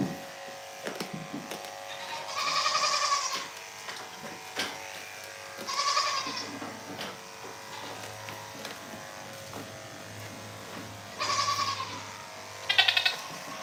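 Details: Goats on a small farm, heard in the morning: three harmonic, wavering bleats a few seconds apart, then a shorter fourth cry near the end, over a steady mechanical hum with scattered clicks and knocks.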